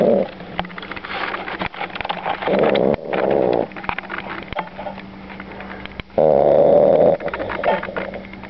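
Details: Ali, a dog newly added to the family, snoring super loud while asleep inside: two long, rough, rattling snores about three and a half seconds apart, separated by softer snuffling breaths and light household noise.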